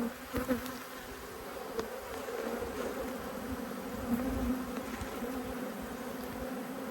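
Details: Honey bees from two hives made cross by an inspection: a steady, low, droning hum that holds an even pitch throughout, with a few faint knocks and small swells in loudness.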